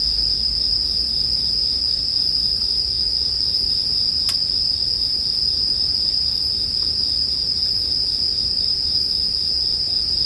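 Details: Continuous shimmering high-pitched song of bell crickets, steady in level, interrupted once by a loud snap from a crackling campfire, in a sleep-oriented nature mix.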